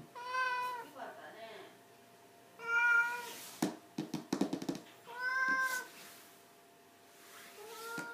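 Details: An elderly 17-year-old house cat meows indoors, three long harmonic meows about two and a half seconds apart with a shorter one at the end, separated by tapping and knocking sounds and quiet room noise.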